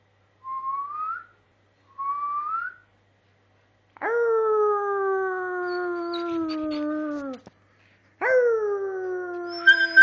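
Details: Dogs howling together indoors: two short rising whistled notes, then two long, drawn-out howls of about three seconds each. Each starts high and slides slowly downward, rich in harmonics, with a brief gap between them.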